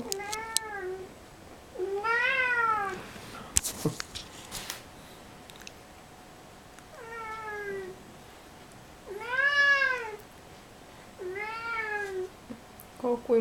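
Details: Kissel the cat, a domestic cat with suppressed sexuality, calling indoors in a series of six arched, wavering meows spaced a second or two apart, with a sharp clatter midway and faint room hum.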